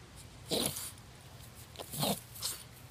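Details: Boston Terrier named Holst in a backyard, confronting a small snapping turtle and unsure what to make of it; three short, rough, breathy bursts, the first two strongest, over a quiet outdoor background.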